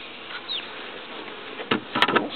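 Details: Bees inspected four hours after being moved from their transport package into a hive; a steady, dense buzzing hum, broken near the end by a few sharp clicks and knocks.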